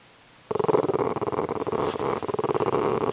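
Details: After a moment of quiet, Mozart the dog breaks into a steady, pulsing growl, rough and rumbling, as he gets mad at flies.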